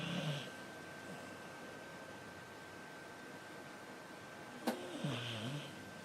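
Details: Xiaoxiao, a cat, snoring while asleep indoors. A short, raspy snort opens the clip, followed by quiet breathing, a sharp click, and a second rough snore near the end.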